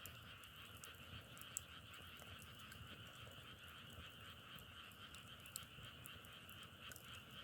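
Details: Massed frogs produce a constant, pulsing trill chorus at a steady pitch, with occasional crisp crackling clicks, like firewood burning, dotted across the recording.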